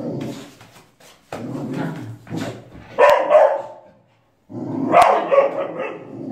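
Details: Faithful dog guarding a child, giving loud harsh barks in two main bursts separated by a brief silence, with softer sounds before them.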